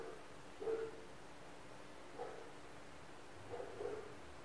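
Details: Distant dogs barking somewhere around an apartment surrounded by neighbours' pets; three muffled single barks at irregular intervals, the first strongest, against a constant low background hum.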